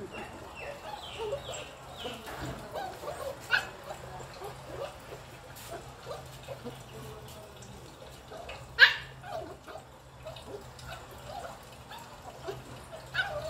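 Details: Playing puppy with a broomstick: soft falling whines early on, then long quiet stretches broken by a few isolated sharp yelps, one much louder near the end, over low steady hum.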